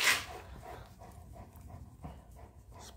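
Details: A mini Italian Greyhound, confronting an English Mastiff, lets out a sudden, sharp, high bark, then soft, rhythmic huffs and panting, and another abrupt bark, with a person's voice faintly nearby.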